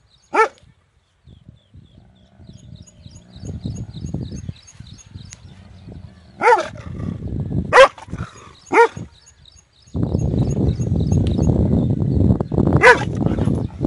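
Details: A big dog gives loud, separate barks, some single and two close together, over steady low rumbling noise that grows louder near the end.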